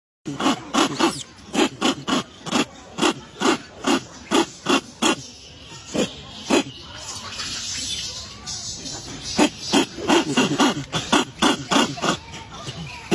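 A monkey gives rapid, rhythmic bursts of harsh chattering, several per second, with a brief pause midway.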